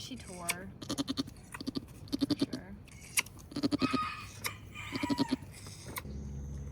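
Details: Nigerian Dwarf dairy goats on a Northern California farm as the doe Maggie gives birth to twins, her first kidding; a series of wavering, tremulous bleats repeats every second or so, with soft human voices and handling noises close by.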